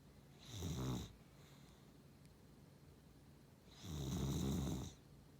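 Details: Snoring from a Beagle-Cavalier mix dog, two deep, breathy snores roughly three seconds apart, the second longer and fuller, a steady low rasp with near silence in the gaps.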